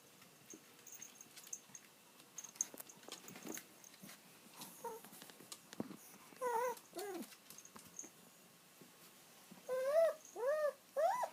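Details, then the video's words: Kiri, an old house dog, waits for her owner to return home. Soft clicks and tapping come first, then a run of short, bending whimpers that bunch together into quick, repeated cries near the end. "鳴き声必聴 愛犬キリちゃん、御主人の帰りを待つ"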